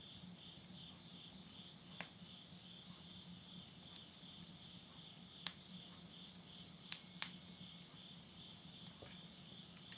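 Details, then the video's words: Insects calling at midnight in September 2020 at the end of summer in the countryside of Yurihama, Tottori, Japan; a steady, high, shimmering trill in two close bands runs throughout, with sharp pops of wood burning in a stove and a low hum. "mid night the voice of insects"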